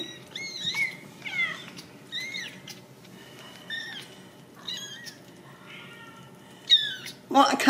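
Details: Ragdoll kittens raised in a home cattery in central Kansas give a run of high, arching mews, several overlapping and bending up then down, about every half second, with a soft indoor background and a brief rustling burst at the end.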